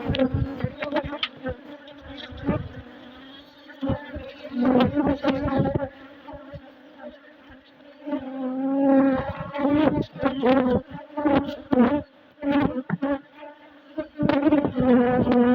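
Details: Western honey bees at work building comb inside an opened hive during an inspection; continuous deep buzzing hum that swells and fades, with frequent sharp knocks and scraping from the frames being handled.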